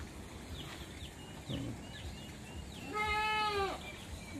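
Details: Farm goats, eager to be let out, call before release: one loud, quavering, harmonic-rich bleat late in the clip, preceded by scattered thin high chirps from nearby fowl and low rustling.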